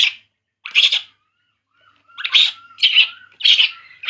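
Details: While drinking milk, a baby monkey cries in loud, high, harsh squeals, first two spaced apart, then four rapid ones close together, with a thin steady whine faintly in the background.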